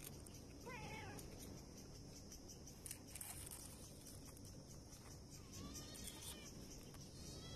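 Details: Stray cats, a mother and her kitten, trying to survive on the street: two short, faint meows, one near the start and one rising later, over steady traffic-like background noise.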